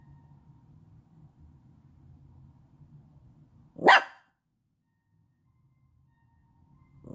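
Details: Yorkshire Terrier; bark; puppy asking to play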